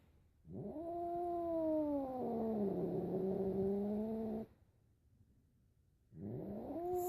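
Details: Pet cat utters a sustained, moaning yowl of about four seconds that rises, dips and wavers, then falls quiet before a second yowl starts, swelling upward.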